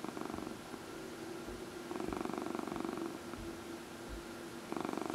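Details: Domestic cat purring while being massaged, one of four cats kept indoors in a small room: a steady rumbling purr with rhythmic pulsing bursts, swelling and fading in cycles, soft background hiss.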